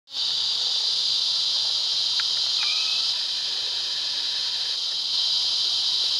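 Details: Cicadas singing intensely for love on a summer day in Fl: a loud, unbroken high-pitched buzzing drone that swells in at the start and holds steady, with a couple of faint brief chirps beneath.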